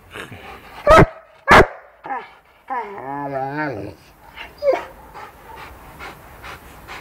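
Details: Angry pet Rottweiler barking: two loud, sharp barks about half a second apart, then a wavering tonal whine-like sound lasting about a second, followed by softer scattered noises and faint clicks.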